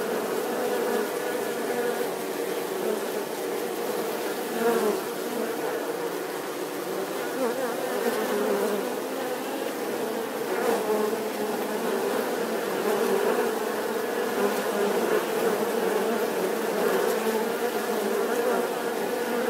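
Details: Long, sustained bee hum, a thick buzzing drone that stays level for nearly twenty seconds with only brief slight swells and a few soft clicks.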